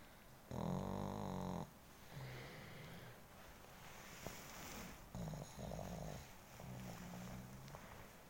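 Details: Sleeping male pug, described as gentle and timid, snoring indoors: a long rasping snore near one second, then softer low snorts and a second harmonic-rich rattling snore, in a slow uneven rhythm.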